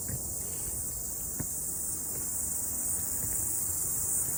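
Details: Cicadas singing on a mountain after rain during a morning hike, a continuous shrill, hissing drone without pauses over faint low rustling.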